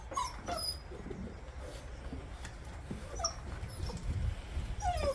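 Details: New Bernese Mountain Dog puppies, born around September 2023, give faint, thin, high yips and whimpers at intervals against steady low background rumble.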